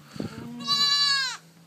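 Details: Newborn goat kid, about a day old, giving one strong, high, steady bleat lasting under a second, with a brief low voice and a soft rustle just before it.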